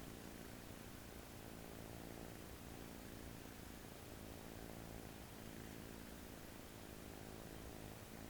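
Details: On its first day in a new home, an American Shorthair kitten sleeps pillowed on an arm, giving a faint, continuous low rumbling snore against a soft background hiss.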